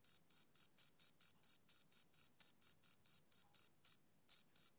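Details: Male cricket on a summer evening, a quick series of sharp, high-pitched chirps about four per second, broken by one brief pause before two more chirps; no other noise.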